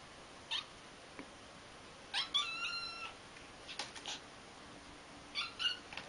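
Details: Kitten fighting a fake cat indoors, giving short high chirping calls and brief squeaky bursts in scattered clusters, with a faint steady background hum.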